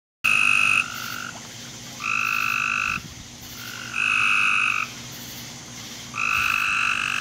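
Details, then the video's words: Frogs calling in a backyard at 10:45 pm on July 24, 2017. Sustained, steady, tonal calls about a second long, overlapping and alternating between a louder and a softer caller, with a faint low hum underneath. "Backyard Frog Sounds"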